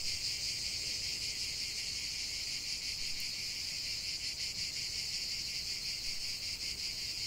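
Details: Steady cicada song, a continuous piercing buzz from many insects, evenly loud with a slight flutter and a brief tick partway through.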